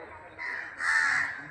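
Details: Large colony of bats roosting on trees in a temple grounds, hanging upside down and resting in the shade on a summer day; a harsh, hoarse screech, faint then swelling louder, amid background chatter.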